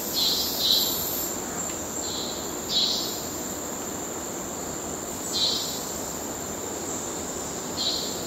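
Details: Courtship calls of male cicadas in Kerala wildlife: persistent high whining buzz with irregular brighter pulses recurring every couple of seconds over faint background noise.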